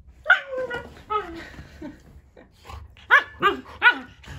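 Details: Pet German Shepherd vocalizing in his own talkative way: a string of short yelping barks and squeaky whines, some rising then dropping, spaced unevenly, with a human voice faintly mixed in.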